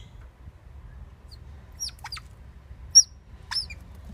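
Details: Captive Oriental small-clawed otters at Copenhagen Zoo, busy building a nest on 17 November 2016, give scattered thin high-pitched chirps and squeaks, one sharp peak standing out, against quiet low background hum.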